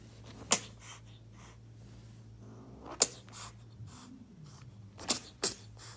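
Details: Sharp explosive spits and hisses from an angry kitten, four sudden bursts with short breathy hisses following each, plus one brief sliding low whine in the middle, indoors over a low hum.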